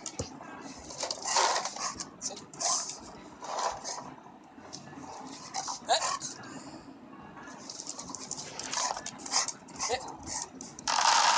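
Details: Hungry Labrador retriever dog making irregular short vocal bursts scattered through the recording, mixed with background voices and household noise.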